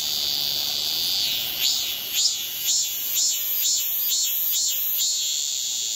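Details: A cicada on a tree in Seoul, South Korea, recorded very close in July 2018, gives a loud, high, steady buzz, pulsing in strength about twice each second.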